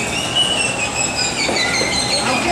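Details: A captive killer whale at SeaWorld Orlando in April 2017 gives high, drawn-out squealing whistles through its blowhole on a trainer's cue, held steady with bright overtones.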